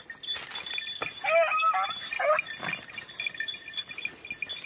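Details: Lemon-white and red-blue tick beagles on hare hunting practice on the island of Crete, Greece, in 2021; two arched, harmonic baying barks in quick succession, with steady ringing bell tones and scattered clinks throughout.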